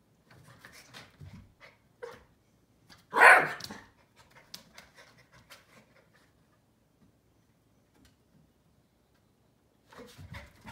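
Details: A Keeshond puppy pleads with a Siamese cat to be his friend, giving soft whimpers and snuffles broken by one sharp, loud yip.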